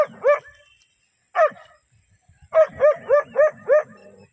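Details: German Shepherd dog barking on the attack: two single loud barks, then a quick run of five even, ringing barks at the end.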